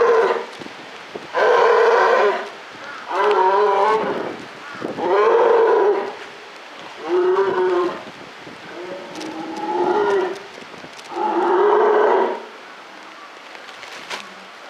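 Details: At Maruyama Zoo in October 2013, a captive polar bear utters seven rough, moo-like moans in a steady run about every two seconds, some sharp clicks and knocks faintly in the background.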